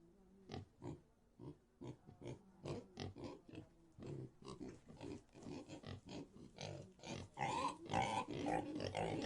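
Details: Several pigs in a pigsty: short separate grunts spaced about every half second at first, building into a quicker, louder jumble, with higher squealing near the end.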